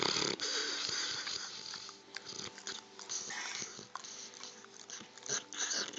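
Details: Sleeping dog snoring indoors: irregular, raspy breathing bursts with hissy, wheezy noise spread high across the range and short clicking sounds between breaths.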